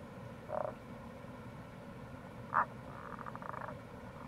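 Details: April recording of Tago's brown frog near a gorge in Itoshima, Fukuoka Prefecture: a brief croak, a sharper second croak, then a quick rattling series of faint pulses, all beneath loud rushing water.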